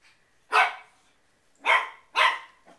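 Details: Shih Tzu dog indoors barking after being shown a picture of a shih tzu: three sharp, broadband barks, the first alone and the last two close together, in a quiet small room.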